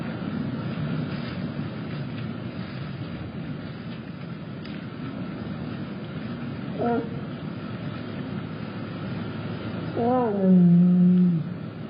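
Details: Jasmine, a tiger at Big Cat Rescue, gives a short harmonic honk near seven seconds, then a longer, louder low moo that drops slightly in pitch, over a steady rumbling engine-like background drone.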